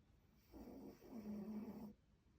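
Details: A sleeping Pomeranian named Poyo snores in a low, rasping, buzzy rumble that swells and drags for about a second and a half before falling silent, with no other sounds.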